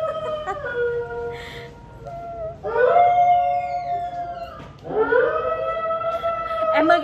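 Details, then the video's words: Alaskan Malamute kept as a pet, answering a wolf-howl recording played from the internet with sustained, slightly rising and falling howls, two long notes separated by pauses, over household speech. "Mật Hú Như Chó Sói Siêu Ngầu - Trời Ơi My Alaska Dog HONEY Howls Like A Wolf"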